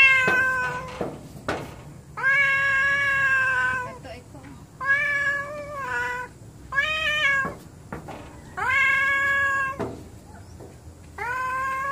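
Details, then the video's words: Domestic cats, more than one, behaving angrily toward each other indoors: long drawn-out harmonic yowls about a second or more each, some rising then falling, repeated with short gaps, a few sharp clicks and thumps between calls. "My Angry Cats"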